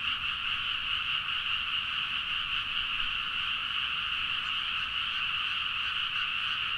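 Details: Rice-paddy frogs in Nagaoka, Niigata, Japan, in a full chorus late at night, recorded on a Zoom H4n; many overlapping calls merge into an unbroken, even, high-pitched wall of sound with no single caller standing out.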